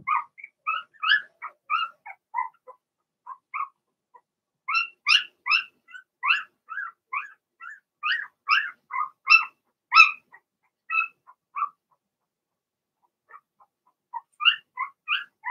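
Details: Six Blenheim Cavalier King Charles Spaniel puppies in an indoor pen produce rapid, loud, short yelps and squeaks, several per second in clustered runs, pausing briefly near the end before resuming.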